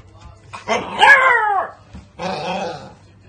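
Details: Beagle puppy giving two drawn-out, wavering cries that slide downward in pitch, the first longer, separated by a short pause, with a faint low hum underneath.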